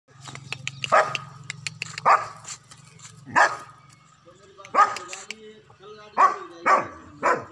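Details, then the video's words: German Shepherd dog hunting, letting out a series of sharp, short barks spaced roughly one to one and a half seconds apart, some in quick pairs, over a steady low hum, with a person's voice nearby. "German Shepherd dog चिंकी शिकार करते हुए"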